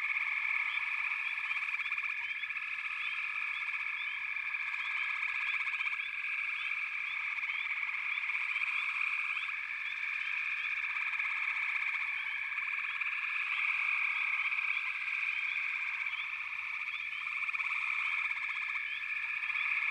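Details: Twenty seconds of a steady, dense frog chorus: layered high buzzing tones, rapid pulse trains that fade in and out, and many short upward-sweeping chirps, with no other sounds breaking through.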